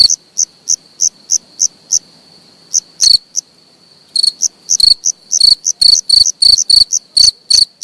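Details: Close cricket calling: softer high chirps at first, a short silence, then louder, faster chirps at about three per second; no other noises.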